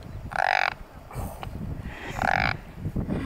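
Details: Frog croaking while held in a person's hand: two short, buzzy, harmonic croaks about 1.8 seconds apart, with rustling and handling noise in the background.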